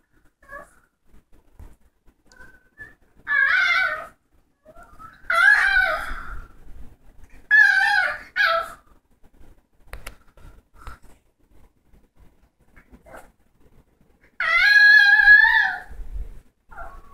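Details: A female dog gives several wavering, whining howls, each about a second long, with pauses between.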